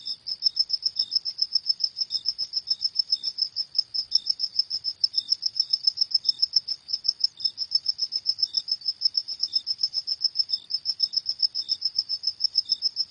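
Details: Night-time cricket chorus, high pulsing chirps in a fast unbroken run, joined at intervals by a softer, slightly lower chirp from a second caller.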